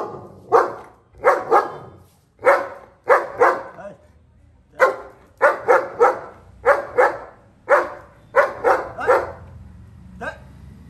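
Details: Long-coated German Shepherd playing with friends: loud, deep, sharp barks given singly and in quick pairs or triplets, about a dozen over eleven seconds, with short pauses between bursts.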